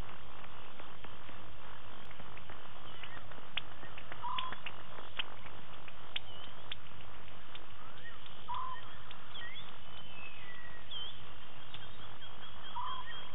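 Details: Leopard Tingana, a male seen with Thandi at Djuma in Wild Africa on 20 November 2018, giving repeated deep rasping sawing strokes low in pitch, with a few brief bird chirps and insect notes higher up.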